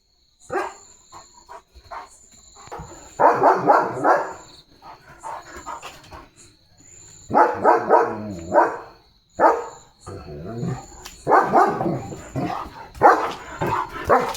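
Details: German Shepherd Leo, a limping household dog in the courtyard, barks repeatedly in rapid, irregular volleys with short pauses between them, mixed with a person's voice and a steady high electronic tone.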